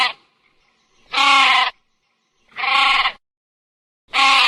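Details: Sheep bleating: three loud, wavering, nasal bleats, each about half a second long, spaced roughly one and a half seconds apart, with silence between them.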